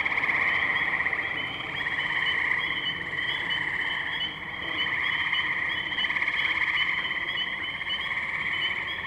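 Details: Many tree frogs calling together in the wetlands of Firestone Park, Columbiana, Ohio, recorded 6 May 2023 on a Zoom H2n; unbroken rapid trilling, a brief dip near four seconds, then full chorus again.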